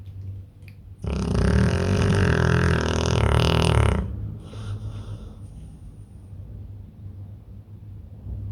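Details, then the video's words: Soft breaths from a pit bull in deep sleep lead into a three-second snore. It is harsh, rumbling and low-pitched, then fades back to quiet, steady breathing. "pitbull roncando no sono profundo"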